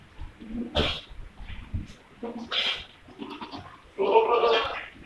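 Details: Jamunapari goats bleating: several short, nasal, harmonic bleats about a second apart, the last one longer and wavering, with people's voices in the background.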